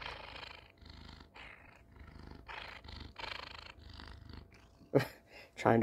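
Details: Pet cat seeking affection indoors, purring close into a phone with head bumps. A steady rumbling purr pulses in breathy cycles, roughly one every second. Sharp bumps and rustles near the end as the cat nudges and tries to bite the phone.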